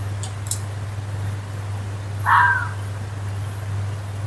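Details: Woodland fox letting out one short, hoarse, strained yelp midway, set against a continuous low electrical-sounding hum.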